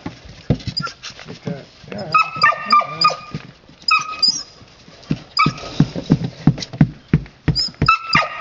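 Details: Playful red Standard Poodle puppies romping outdoors with their sire, giving thin high whimpers and squeaky yips in irregular bursts, mixed with scuffling, thumps and a person's voice nearby.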